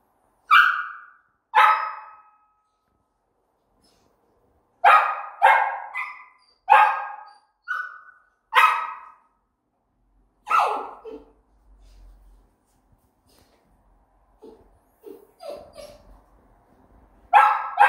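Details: Samoyed puppy barking suddenly one morning as if in pain while sick, a day after sleeping and playing normally; sharp barks in bursts with pauses, a few softer whines near the end.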